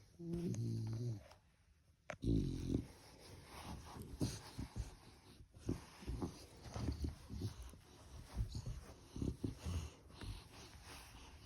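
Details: Morning nap of a puppy in its bed: low nasal snoring and wheezy breaths repeating irregularly throughout, with an early louder grunt near 2 s.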